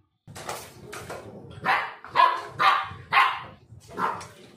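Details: Black Labrador Retriever born in Kerala, a puppy growing into a dog over one year; about five sharp, loud barks at an uneven pace of roughly two per second, with a soft background murmur.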